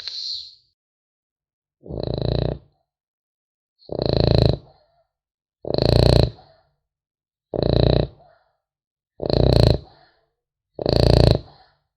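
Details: Sleeping French Bulldog puppy snoring steadily: seven rough, breathy snores with a nasal rattle, each about half a second long, coming roughly every one and a half to two seconds with silence between them.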